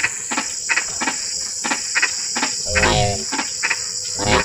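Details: Frogs calling in drizzling rain: sharp knocking croaks at irregular intervals, with a deeper, throaty, harmonic croak near the three-second mark. A steady high insect hiss runs throughout.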